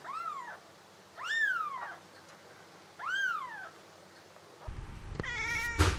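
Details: Cat giving three soft arched meows, each rising then falling over about half a second, spaced roughly a second and a half apart, over a quiet hum, ending with a louder harsher meow amid rustling.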